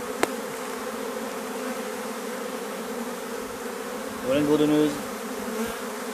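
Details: A continuous low hum from a drone-laying honey bee colony, its frames shaken out some fifty metres from the apiary. The drone stays even throughout, with a soft click near the start and a brief human voice near the end.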